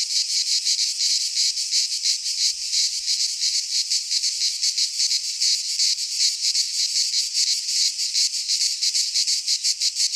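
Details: In a Greek pine forest at midsummer, cicadas keep up a constant high, sizzling buzz that throbs in quick regular pulses, loud and unbroken, with no other animals or background sounds.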